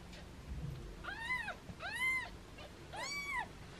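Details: Playful foster kittens meowing in hands, their mother nearby; three evenly spaced arched cries, each rising then falling, roughly one per second, with faint low rustling underneath.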